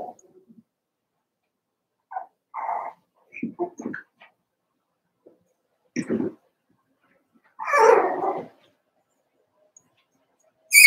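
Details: In their pen, four-week-old Cavalier King Charles Spaniel puppies of Daisy's litter let out isolated yips and whines separated by quiet gaps, including a longer drawn-out whimpering cry and a shrill squeal at the end.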